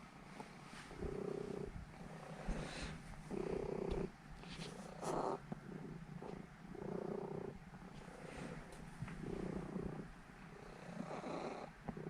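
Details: Norwegian Forest Cat, a seven-year-old female named Elf, purring while kneading before falling asleep; soft low rumbling in phrases of about a second, pausing between breaths, with faint rustling and small clicks.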